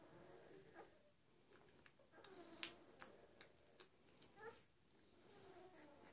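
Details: One-week-old German Shepherd puppies, a litter of six males and three females, give thin, high whimpers and squeaks while nursing, with soft clicks and shuffling between them.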